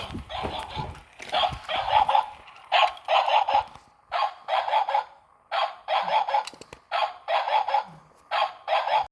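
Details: A pug, told not to bite another little dog, gives short, raspy yapping barks in quick bursts of two to four, repeated steadily.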